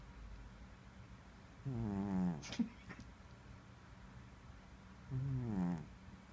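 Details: Male house cat snoring while asleep, two rasping, slightly wavering tonal snores about three and a half seconds apart with soft breathing between them and a brief click after the first.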